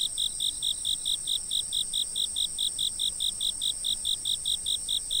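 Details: Insects chirping at night from a fixed camera, recorded as a sleep aid; a steady train of short high pulses, about two to three per second, over a constant thin high hiss from other insects.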